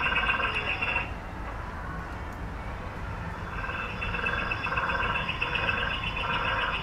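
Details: A meerkat sentry at West Midlands Safari Park, on guard watching for bird predators while the group forages, gives rapid, repeated chirping peeps in quick pulsed bursts over a low background rumble.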